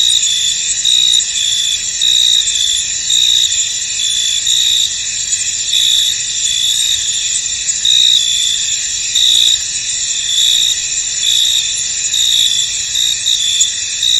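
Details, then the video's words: Crickets in a misty, foggy field: a dense, steady high-pitched chorus with brighter chirps pulsing through it about once a second, uneven in rhythm, and no other clear sounds. "Tranquil Cricket Sounds In An Misty Field"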